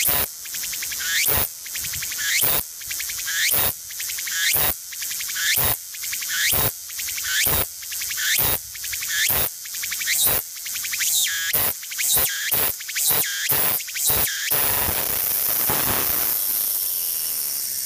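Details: Walker's cicada in full song: a fast train of loud, rhythmic buzzing pulses about twice per second that quicken toward the end, then merge into a steady, unbroken drone.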